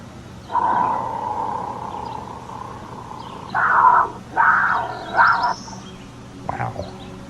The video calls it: The mountain lion growls and snarls to protect its precious meal from freeloaders.